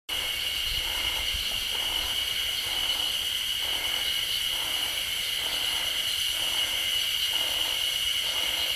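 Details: Yezo spring cicadas singing in the Sapporo suburbs, Hokkaido, in woods just off a roadside near homes, as summer approaches: a steady high shrill drone with a softer pulsing note repeating about every 0.6 seconds throughout.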